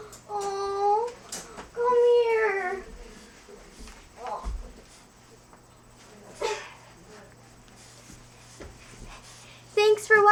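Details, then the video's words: Nordberg the French Bulldog, crate training, voices two rising, bending whines at the start, then quieter scattered grunts and sniffs during a long pause, before a short, sharper whine returns at the very end. "cute french bulldog making funny noises"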